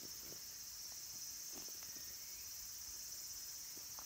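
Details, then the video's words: Late-summer cicada chorus in the wooded mountains around Kabusanji temple, Takatsuki, Japan, home to minmin and tsukutsukuboshi cicadas: an unbroken shrill, high-pitched drone with scattered soft knocks and footstep-like taps underneath. "Cicadas' voice"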